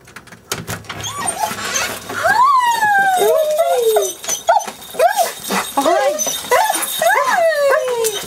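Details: Golden Retriever greeting its owners on their return home after a week away, letting loose long moans and howls: sliding, wavering whines that rise then fall in pitch, several drawn-out cries with short yelps between, people's voices in the background.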